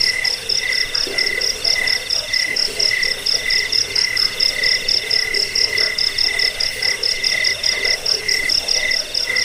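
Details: Steady cricket chirping for repelling rats, bedtime listening and bird song training: a mid-pitched chirp roughly every half second against a constant, sharper high-pitched pulsed trill from another caller.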